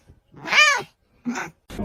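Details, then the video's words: Kitten giving a single arched meow rising and falling, then a shorter second cry and the start of a third, with quiet pauses between. "kitten meowing"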